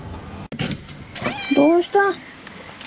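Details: Feral mother cat summoning the woman of the house when she wants something; two clear rising-falling meows in quick succession after a sharp click and rustling.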